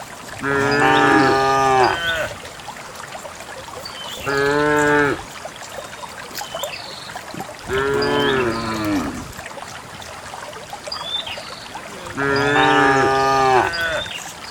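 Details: Dozens of cows herded along a path to the farm pen, lowing repeatedly: four loud, rich moos roughly every three to four seconds, with birds chirping faintly in between.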